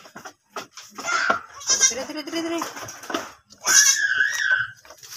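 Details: Domestic goat that has just given birth again, heard giving wavering, nasal bleats with strong harmonics, one short and a longer pair near the end, mixed with human voices and clatter.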